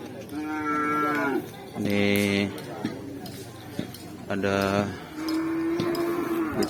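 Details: Cattle at a kerapan sapi bull race at Lap Asemanis, with the bulls Kelabeng Sakti and Bintang Timur taking part: four drawn-out, harmonic-rich moos, some steady and some rising then falling, under faint voices of a crowd.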